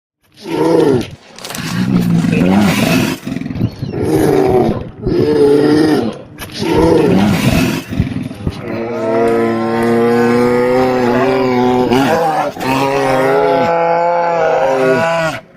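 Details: Grizzly bear roaring: a series of loud, rough, low growling roars, then a long drawn-out moaning roar with clear tonal layers that wavers and breaks near the end.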